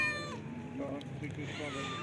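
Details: Cat calling at an early evening feeding; a brief harmonic meow sliding downward opens the clip, followed by quieter mews mixed with a man speaking softly and low rumbling background noise.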